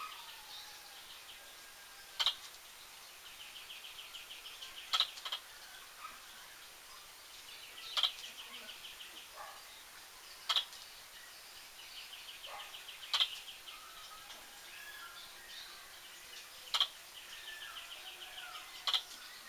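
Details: Squirrel hiccuping repeatedly: a sharp, high click-like note roughly every 2.5 to 3 seconds across the whole stretch, with a steady wash of distant bird chirping behind it.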